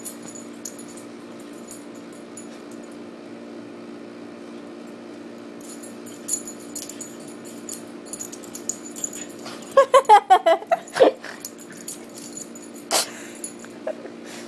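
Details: Two pet Chihuahuas, Teddy and Chuchi, playing together. After a quiet stretch with light rustling and clicks, a rapid burst of short, high, tonal yips and whines about ten seconds in, then a few isolated yelps and soft scuffling sounds.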